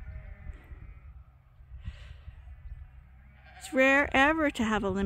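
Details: Sheep at Ewetopia Farms during a morning pile-up, waiting to be let out to pasture for the first time this year. Low background rumble for several seconds, then loud wavering bleats burst in near the end.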